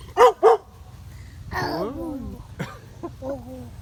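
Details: Neighbor's dog gives two quick, sharp barks, then a wavering, whining howl that slides up and down, followed by shorter yelping notes; a little background noise.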